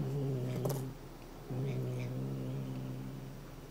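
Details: Indoors, the Somali cat Chouchou keeps up a low, steady growl while defending a cat-teaser toy; a continuous rumble broken by a brief pause, with light rustling noises.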